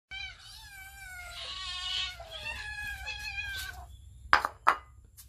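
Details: Hungry cats and kittens being fed raw fish, filmed on a phone: a long drawn-out harmonic meow with wavering pitch lasting about three seconds, then two short sharp clicks or knocks.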